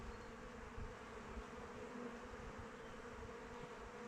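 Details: Steady hive drone from honey bees on the wing in open weather: a thick, layered hum with deep low rumbles and a few louder passes as single bees fly close by.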